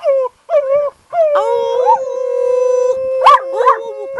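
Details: Cleo, an Irish Wolfhound, gives long, mournful howls in July 2013, joined by a second howling voice, Roger, who got her started; horses come over to see if it is a wolf pack.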